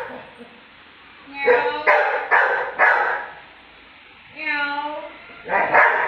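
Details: Pet Labrador reacting to being mocked, giving four quick, harsh barks in a burst, then a sustained tonal mocking sound from a person, followed by one more loud bark.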